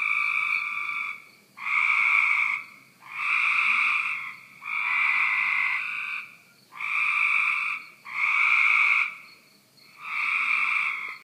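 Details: Cope's gray tree frog calling near a back deck: seven short, harsh, buzzy trills, each about a second long, repeated steadily about every one and a half seconds.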